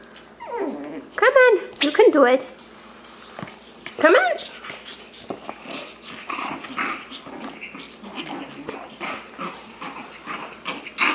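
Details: Male Shih Tzu puppies, six weeks old, playing together: high, whiny yelps and squeals in quick bursts near the start and again around four seconds, then scuffling and softer grunts, while a person's voice encourages them.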